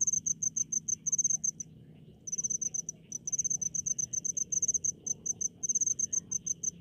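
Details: Crickets in rice paddies of a rural village, giving shrill pulsed chirps in quick regular trains, a short silence near two seconds, then steady repeated bursts; soft low hum underneath.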